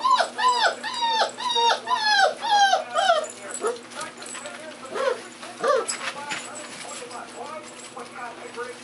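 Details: Puppies about 35 days old giving a quick series of high, arched whimpering yips, several per second, for the first three seconds. Fainter scattered yelps and soft voices follow.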